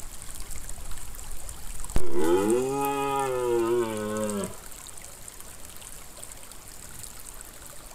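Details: A red deer stag gives a single deep, drawn-out bellow, rising slightly then falling away, over rushing water, during the 2022 rut while stags were still calling little.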